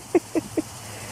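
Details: Auggie, a pet dog, in his backyard pool on a hot day after being startled by a bootie that came off his foot: three short, quick yelps about a fifth of a second apart, then quiet background.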